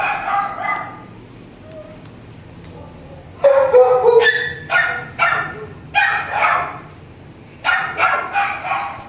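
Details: Kenneled shelter dog with mange giving sharp, harmonic barks in clustered bursts of two or three, separated by quiet gaps of about a second, after an opening low bark and a few seconds of near silence.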